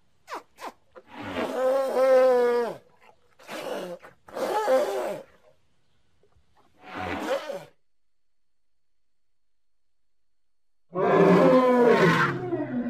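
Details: Baby elephant playing, uttering a run of wavering, harmonic squeals and groaning hoots of varying length, separated by silent pauses. A louder, fuller call begins near the end.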